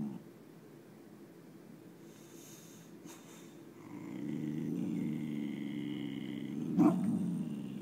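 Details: A low, continuous growl from Chloe, the nine-month-old boxer puppy, aimed at nothing outside the window. It is quiet at first, then deepens and strengthens after about four seconds, with a short harsher burst toward the end.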